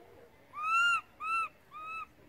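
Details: A baby monkey cries loudly for its mother after the adult moved far away from it, giving three high, wavering calls.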